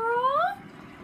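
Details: Oriental cat, an indoor pet, giving a single clear tonal meow that rises smoothly in pitch over about half a second before stopping. Nothing else is heard but a quiet room.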